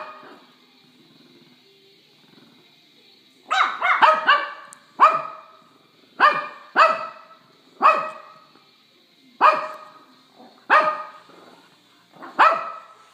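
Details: A female Shih Tzu puppy, figuring out how to bark while playing with her Shih Tzu sister, gives a run of sharp, high little barks after a few seconds of quiet.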